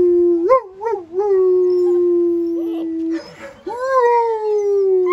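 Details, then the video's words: Black German Shepherd puppies, ten of them, in a chorus of long sustained howls; a steady held tone broken by short yips, a brief noisy scuffle near the third second, then a rising howl that levels off and continues. "Ten HOWLING baby black German Shepherd Puppies!!!"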